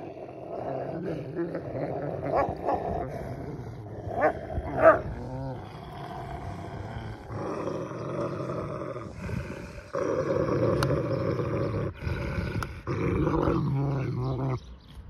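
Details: Akbash dogs fighting between siblings over hierarchy: sustained rough, rumbling growls and snarls throughout, swelling into louder bouts of snarling in the second half.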